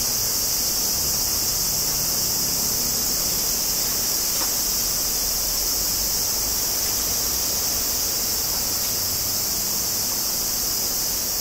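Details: Evening cicadas (higurashi) recorded on 14 August 2011 in Kobe, Japan, with a Zoom H2n front stereo mic: a dense, steady high-pitched shimmering hiss fills the air without pause, over a faint low rumble.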